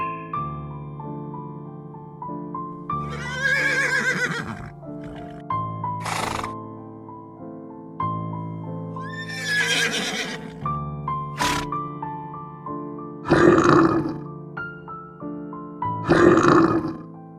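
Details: Horse giving loud, shaky whinnies that rise and fall. Several bursts repeat every few seconds, with shorter snorting calls between them, all over steady background music.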